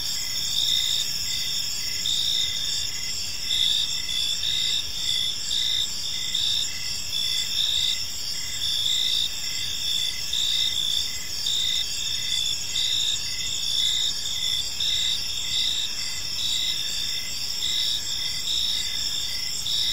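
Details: A peaceful park in the evening filled with cricket chirping, an unbroken high-pitched chorus of overlapping trills with short rhythmic pulses throughout and a quiet low background murmur.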